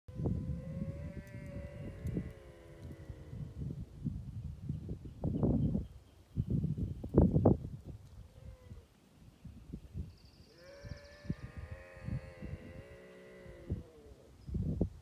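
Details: Bobcat vocalizing along the Sullivan fire road in Los Angeles: long, wavering, harmonic yowls, one near the start and another drawn out near the end, with low thumping and rumbling noise between them.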